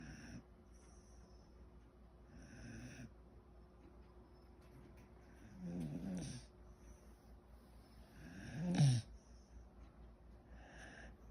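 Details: Sleeping mixed-breed dog snoring like a human: three low rumbling snores a few seconds apart, the last the loudest, in a quiet room.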